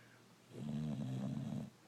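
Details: Rocco, a brindle Boxer dog, asleep and snoring: a single drawn-out, low rumbling snore lasting about a second, with a rough buzzy, harmonic texture, rising out of quiet room hush.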